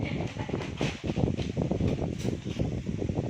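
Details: Dense low crunching and chewing noises run throughout, with no calls or voices.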